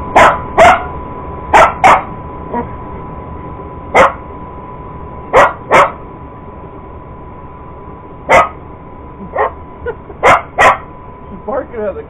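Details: A purebred Cocker Spaniel, a sister's dog, goes after an iRobot Roomba robot vacuum, giving sharp barks in pairs and singles with short pauses, some softer yips between, over the steady whine of the vacuum.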